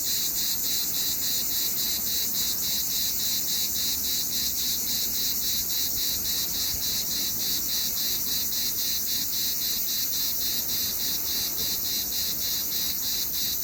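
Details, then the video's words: Cicada chirping in summer, a dense high sizzling sound beating steadily in quick regular pulses, constant volume across the whole stretch. "What does a cicada sound like? Summer in one sound!"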